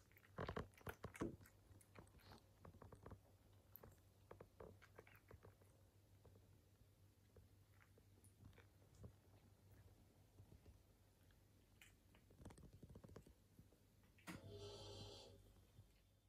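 A British Shorthair cat chewing and crunching food in quick, irregular clicks and bites.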